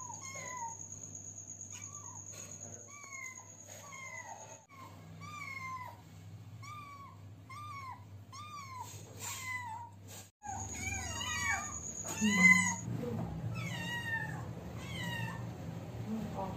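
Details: Hungry kittens asking for food: short, high meows with falling pitch, repeated about once a second, joining into a denser overlapping chorus of several kittens in the second half, over a steady hum and a constant high whine.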